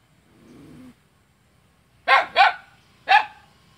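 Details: A dog barks at its own neighbour in Selat, Kapuas, Central Kalimantan, on 5 August 2017; a soft low murmur first, then a silence, followed by two quick loud barks and one more.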